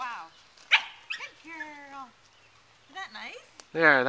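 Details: A nine-week-old Welsh Terrier puppy on a lead, excited, gives short whines and yelps, some level and tonal, others sharp and rising, ending in a loud harsh yelp; scattered clicks and quiet gaps between.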